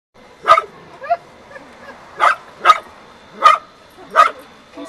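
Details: A dog barking at a fake cow, recorded June 13, 2011, gives sharp, loud barks, singly and in pairs, with people talking between them.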